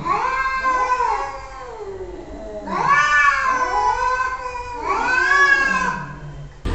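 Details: Cats calling back and forth in long, drawn-out, wavering meows; three loud rising-then-falling cries with softer overlapping meows between them.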